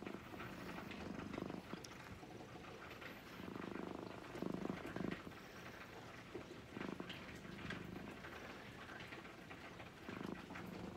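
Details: Brown-and-white domestic cat purring while being gently stroked; a low, steady rumbling purr comes in pulsed bursts with brief pauses between breaths, loudest near the middle, over soft handling noise indoors.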